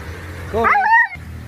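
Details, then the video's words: Pet dog making a short talking-like vocalization, a single rising then falling whine-like yowl with clear harmonics lasting about half a second, over a low steady background hum. "My Talking dog"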